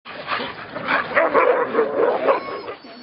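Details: A chorus of sled Siberian Huskies at a dog-sledding outfit in Southern Vermont barks and yips excitedly before a run, in overlapping bursts, while a person speaks.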